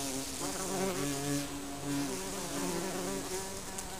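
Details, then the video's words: Continuous busy drone of many honey bees around their colony under a garden shed, several wingbeat hums overlapping and wavering in pitch, a dense swarm-like buzz throughout. "Bees abuzzing Honey Bee"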